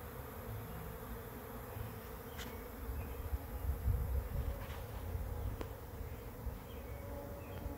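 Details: Arriving bee swarm at a swarm trap, heard as a deep rumbling drone that swells in the middle, with a few brief clicks and ticks over the constant buzz.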